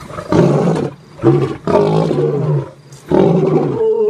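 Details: At Sasan in Gir National Park on safari, an Asiatic lion gives deep, throaty roaring grunts in heavy bursts, separated by short pauses.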